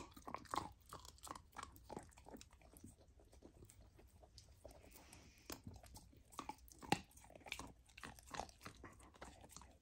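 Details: Golden retriever puppy eating raw lamb for the first time as part of a raw diet, indoors: wet crunching and chewing bites in quick bursts, with a quieter pause in the middle before the loud biting resumes.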